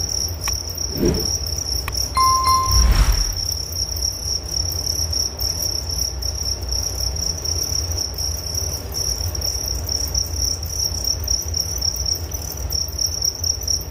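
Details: Crickets chirping in a continuous, shrill, rapidly pulsing high trill that runs steadily throughout, with a fainter higher shimmer above; early on a couple of brief low thuds and a short tonal beep break in, over a low background rumble.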